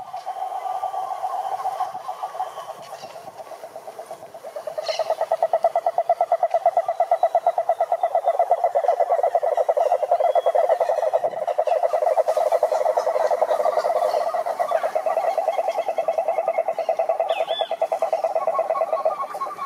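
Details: Cururu toads (Rhinella marina) calling at a forest lake in Brazil's Atlantic Forest: a softer trill opens, then after about five seconds a nearer toad joins with a loud, rapid, machine-like pulsed trill that carries on steadily.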